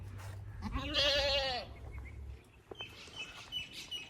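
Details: Goat at a goat farm in Pakistan giving one quavering, wavering bleat lasting about a second, rich in harmonics and slightly falling at the end, followed by faint clicks and soft high tones in the background.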